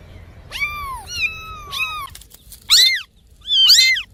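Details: Cats and kittens meowing to attract other cats: three mid-pitched falling meows at first, then two sharper, higher, louder squeaky meows after a short pause.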